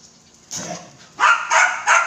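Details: Belgian Malinois giving a quiet opening bark, then three loud, sharp barks in quick succession, about a third of a second apart, with a faint steady hum underneath.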